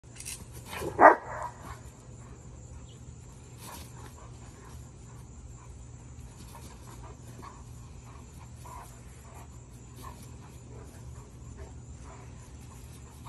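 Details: Male German Shepherd, born October 2021, doing water exercises and leaping into the air; one loud, sharp bark near the start, followed by quieter panting-like sounds over steady background hum with a faint high electronic tone.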